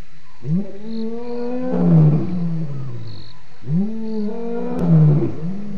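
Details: Loud lion roars recorded at Djuma waterhole, 28 October 2016, in two bouts: each is a deep, rising moan swelling into a powerful roar, then trailing off, roughly three seconds apart.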